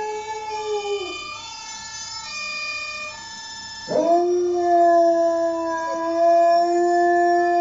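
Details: Pet dog howling along while watching dog videos: sustained tonal howls with rich harmonics, one long note sliding down, then after a sharp break a steady higher howl held for several seconds, while another howl-like tone plays from the screen.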